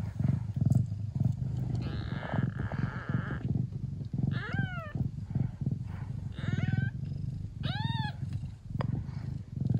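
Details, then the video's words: Mia, a Traditional Siamese (Thai) mother cat in the Netherlands, purring hard while nursing her hungry kittens: a steady low rumbling drone throughout, broken by several high, arching mews from the kittens near the middle and end. "Beautiful mummy cat purring hard while feeding her hungry cute Siamese kittens"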